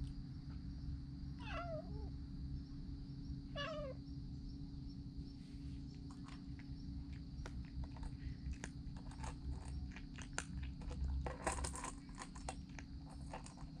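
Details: Stray cat family eating warily outdoors; two descending, slightly wavering meows near one and a half and three and a half seconds, then clicks and rustling over a steady low hum.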